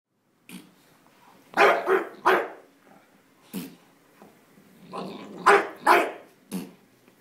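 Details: A Bulldog indoors, upset by fart sounds from a squeaky toy, gives gruff, broad barks and growly grumbles in short bursts, often doubled, about eight in seven seconds with quiet breathing between.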